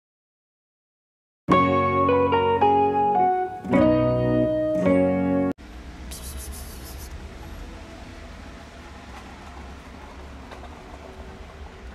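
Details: Plucked guitar and organ-like chords play for a few seconds, then cut off abruptly into a low, steady room hiss with no animal voice.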